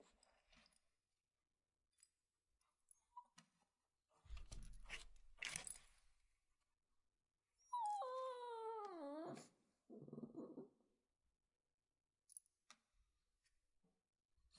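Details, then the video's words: Shih Tzu puppy giving one long, falling whine near the middle of the recording, followed by a rougher moan. Thumps and rustling handling noises are heard before and after, in a quiet indoor space. "Whining Puppy (Shih Tzu)"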